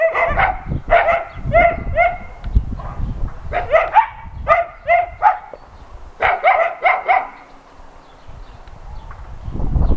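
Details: Shelter dogs at an adoption center barking at a visiting NRK TV crew: clustered bursts of sharp, harmonic barks in groups of three to four, several voices overlapping, with pauses and low rumbling handling noise between bursts.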